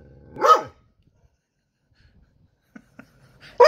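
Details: Domestic dog upset after his toy drowned, giving one loud harsh bark, then a pause with a few faint short sounds, and another bark cut off at the end.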